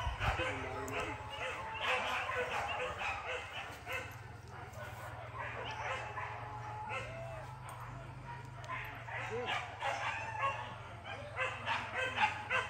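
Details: Dogs yelp and bark in dense, overlapping volleys during Max's first hunting training at the PORBI gathering at Sungai Pingai, with human voices mixed in and a low steady hum beneath.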